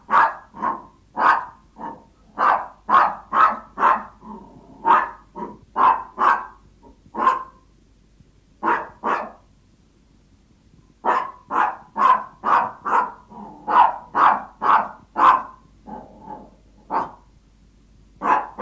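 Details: Yorkshire Toy Terriers barking from hunger, pleading with their owner; rapid high-pitched yaps in long runs, a quiet gap of about three seconds midway, then barking resumes steadily.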